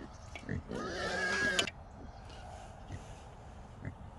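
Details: Trapped wild hog, one of three small boars caught together in a small trap, lets out a single harsh squeal about a second long with stacked harmonics, among faint clicks and rustling.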